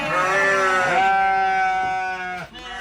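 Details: One long, steady, nasal bleat from a goat at a goat farm where many goats, including young ones, are kept; the cry holds level for over two seconds, then breaks off.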